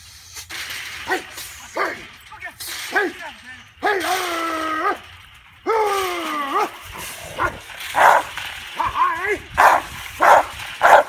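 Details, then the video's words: A 19-month-old male Rottweiler protecting his backyard from an intruder: loud, harmonic yelping barks, two drawn-out whining calls mid-way, then a run of sharp barks spaced about half a second to a second apart. "Rottweiler Protecting Backyard"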